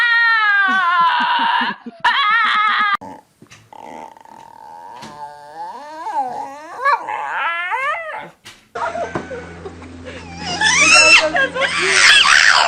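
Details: Dog making funny noises: a run of high, quavering harmonic whines and yodel-like wavering cries with short pauses between, ending in a rough, noisy burst with background music.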